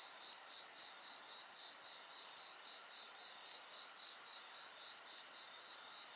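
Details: Insects singing beside a bonfire: a dense chorus of steady, shrill high trills layered with a lower pulsed chirping, about four pulses a second, and a few faint crackles from the fire.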